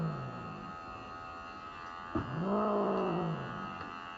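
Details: Norwegian Forest Cat named Elf protesting a grooming cut done alongside a hospital health check; a brief faint moan opens, then one long, arching, mournful yowl swells and fades, with a constant droning machine hum underneath.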